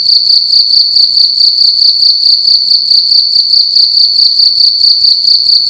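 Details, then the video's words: Cricket calling loudly indoors at night in a room: a steady, shrill, high-pitched chirping made of rapid even pulses that run without a break through the whole stretch, with no other sounds. "Cricket making loud sounds at night in a room"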